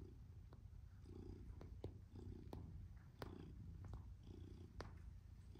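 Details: Tom, a male black and white domestic shorthair, purrs as he kneads; low rumbling purr rising and falling in breath cycles about every second, with scattered sharp clicks over it.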